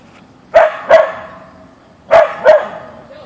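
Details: Backyard encounter with a deer: Boeing the Siberian Husky (Ausky) barks in two pairs of quick, sharp, mid-pitched woofs about a second and a half apart, with faint speech underneath.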